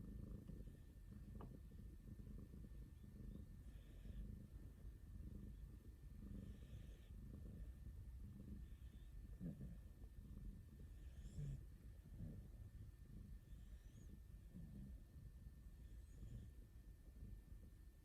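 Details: Snoring from rescued house cats Aruto (orange tabby) and Ranka (calico) as they sleep in each other's arms: a deep, continuous throaty rumble with faint soft ticks, and a brief murmur at the end.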